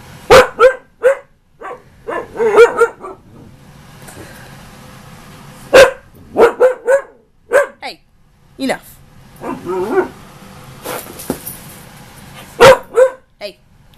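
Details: Ankita, a female husky nearly one year old, argues with her owner over something she wants: bursts of yodelling, woo-woo vocal sounds come in clusters of three or four, broken by a man's voice telling her to stop.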